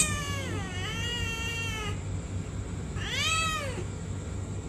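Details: A talkative pet cat gives two drawn-out meows: a long wavering cry of almost two seconds, then after a pause a shorter rising-and-falling meow, over a steady low hum in the background.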